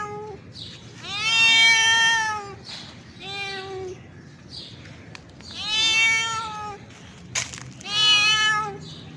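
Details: Male cat in heat calling a female to attract her for mating: four long, drawn-out, wavering yowls, each over a second, separated by short pauses, with a brief click between the last two.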